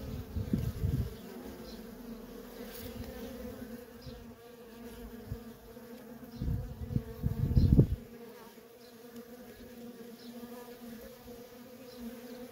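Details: Honey bee workers streaming in and out of a feral colony give a constant droning hum. Strong bursts of close fly-bys come early and again around the middle, then the steady hum alone continues.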